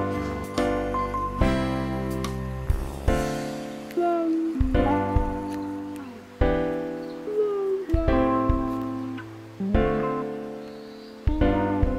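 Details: Gentle piano and plucked-string background music plays steadily in repeated phrases, with no animal voice standing out.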